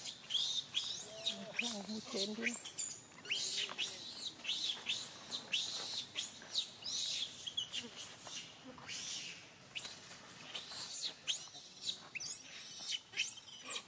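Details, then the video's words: Little baby monkey crying angrily at monkey Jane: a long run of shrill, high arched squeals and screeches, repeated in rapid bursts with brief pauses, a few lower wavering whimpers near the start, faint human voices underneath. "a little baby monkey crying angry with monkey Jane"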